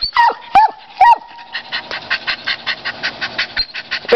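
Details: Dog barking at a squirrel: three sharp, high barks in the first second, followed by a long run of rapid, evenly spaced chattering pulses.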